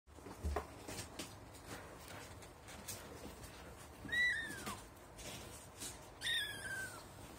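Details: Kitten meeting cat litter for the first time, indoors; two high thin mews, the first arching downward, the second flatter and longer, about two seconds apart, with scratching and rustling of litter between.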